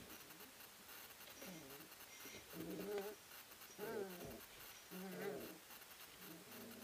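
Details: Three-week-old Ari x Grace puppies wrestling and playing in a whelping house at Endurance Kennels; low grumbling growls and whiny yips rise in bursts about once a second, with a faint background hum.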